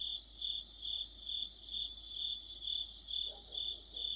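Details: Mid-autumn cricket chorus beside a streetlamp, many insects producing a bright, high, pulsing trill in even swells about twice per second, and a soft lower sound briefly near the end.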